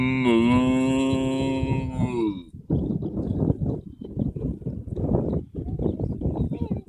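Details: Long, steady moo from cows on an Irish field, sustained for roughly two and a half seconds before giving way to a stretch of human voices.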